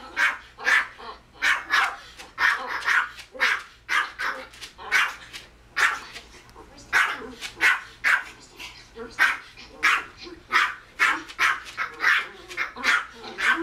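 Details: Indoor pet Pomeranian Kozmo yapping at a screen showing another Pomeranian barking at a dog on TV. A steady, fast run of bright, clipped barks continues without pause, several per second in clusters.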